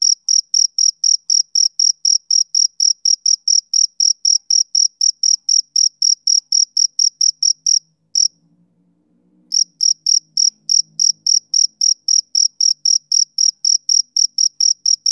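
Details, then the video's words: Summer-evening chirping of a male cricket, rapid high pulses at roughly three to four per second, broken by a brief pause of about a second while a faint low rumble sounds, then resuming at the same rhythm. "Cricket Chirping Sound Effect"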